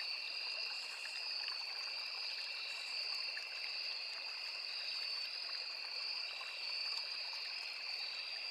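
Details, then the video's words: Forest crickets by a small river keep up a continuous, even, high ringing trill in two layered pitches, with no pauses, over the soft rushing and trickling of running water. "Crickets, Cicadas, Insects | 9 hours Nature Sound"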